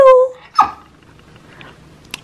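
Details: A one-year-old Siberian husky, one of two littermates born December 2021, practicing howling on a "speak" cue, gives a brief, steady howling note, then a quick yelping cry.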